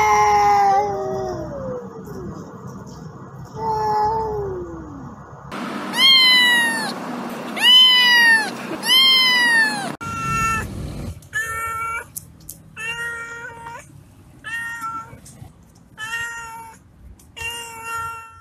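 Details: Different domestic cats meowing, one of a compilation showing angry, happy and hungry meows: first falling, whiny meows, then loud, long wailing caterwauls, then a fast series of short, clipped meows about every second.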